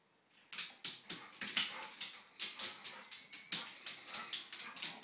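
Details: A Labrador Retriever playing in a kitchen, chasing a laser pen light, gives a rapid run of sharp, yipping barks, several each second.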